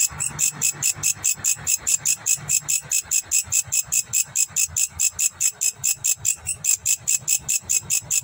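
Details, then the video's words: Indonesian grasshopper giving rapid, regular rasping pulses, roughly four each second, sharp and high-pitched with a slight shimmer, continuing without a break over a faint low background hum. "Grasshopper Voice in Indonesia"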